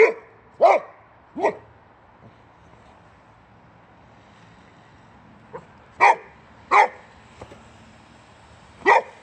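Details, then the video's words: Male Boxer from Sweden, born in 2015, angrily barking at a wheelbarrow's tire: short sharp barks in pairs, a loud one at the start, two more, a pause, then three barks spaced about a second apart. "Crazy Boxer Dog Angry At The Tire On A Wheelbarrow"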